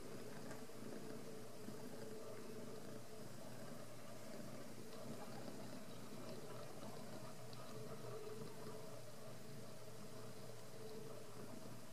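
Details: Steady low engine-like hum and faint room noise throughout, with no animal calls.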